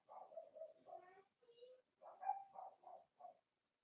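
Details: Cavalier King Charles Spaniel puppies, four weeks old, in a home puppy pen during socializing and weighing: a soft run of whiny, wavering whimpers and squeals, closely strung together in two bursts, quiet indoors.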